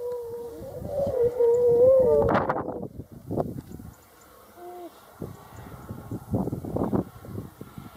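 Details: Grey seals in a fight: a wavering, moaning wail of about two seconds, then loud splashy thrashing bursts. A brief faint tonal note follows, then more scuffling splashes.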